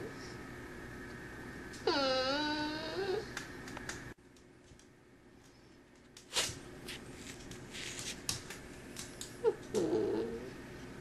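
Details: Cavalier King Charles Spaniel named Marty indoors: a drawn-out, wavering whine lasting about two seconds, then handling thumps and a short whimper near the end, in a small quiet room.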